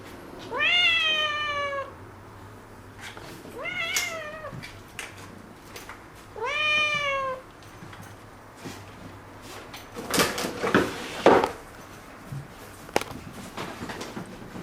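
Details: Spayed tuxedo kitten wanting to be held, meowing indoors: three bright, rising-falling meows in the first seven seconds, then rustling and handling noises as the calls stop.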